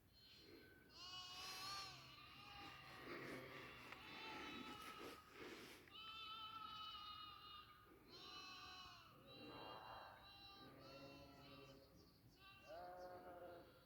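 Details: Goats on a goat farm: a dense chorus of overlapping, wavering bleats with strong harmonics, several animals calling at once almost continuously, with short gaps near the sixth and eighth seconds.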